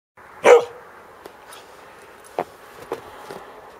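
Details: Samoyed dog outdoors in the snow giving a single loud, sharp bark, followed by a few faint clicks and soft thuds against a quiet background.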